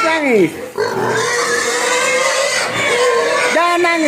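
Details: Pigs crying and begging for food while hungry; long high drawn-out squeals, some sliding downward, layered almost continuously over each other, with several animals calling at once.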